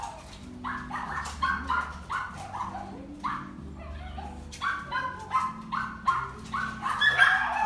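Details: Female white-and-brown Papillon born 2 January 2018, kept in a pet shop, giving rapid high yapping barks in quick irregular bursts, a steady low hum running underneath throughout.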